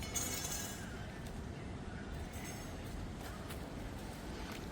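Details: Steady broadband rumble, like wind or passing traffic, fills the recording, with a few faint clinks and no animal voice.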